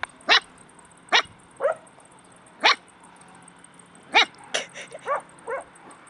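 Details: Stray puppies in Bursa, Turkey; sharp high yips and squeaky barks spaced irregularly, with a cluster of quick yelps near the end, against a faint constant high whine.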